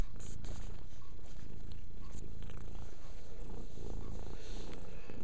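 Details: Domestic female cat grooming herself, purring continuously; a low, even, throbbing rumble with no breaks, faint rustles of licking over it, followed by a woman speaking to her.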